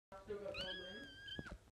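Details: A domestic cat giving a drawn-out, wavering meow that rises and holds steady before falling, sounding almost like a spoken word, in a small indoor room.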